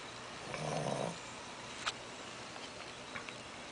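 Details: A Shih Tzu puppy, stuffed from eating too much, lets out one low, rumbling snore early on, then a sharp tap and small scattered clicks over quiet background hiss.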